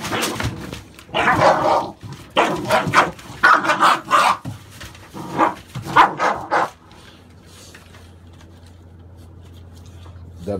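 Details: American Staffordshire Bully, from a litter of papered puppies born 16 November 2017, barking in a quick, irregular burst of loud, sharp barks for about seven seconds, then falling quiet with only a low steady hum remaining.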